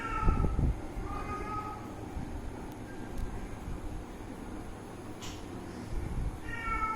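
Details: Cat or kitten playing with its owner, giving short harmonic meows: one at the start, a second about a second later, and a third at the end, over a steady low rumble.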